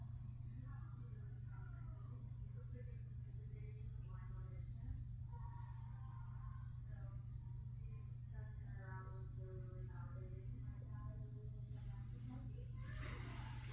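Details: A captive Carolina ground cricket kept in a critter-keeper habitat trills continuously in a thin, high, steady buzz, while a person talks over it above a low hum.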